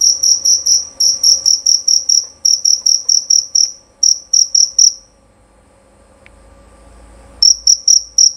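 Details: Loud, clear jerabang cricket, a male, chirping in quick high pulses grouped into bursts. The chirping breaks off for over two seconds of near silence, then resumes sharply.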